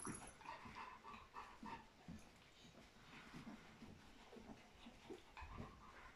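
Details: A litter of fourteen Golden Retriever puppies with their mother, raising them. Soft, overlapping squeaky whimpers at mid pitch come in short bursts through the recording, over a low rustling background.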